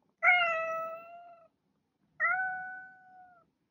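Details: Pet cat uttering two clear meows, each starting bright and sharp then softening into a level, gradually fading tone over about a second, separated by a short silent gap.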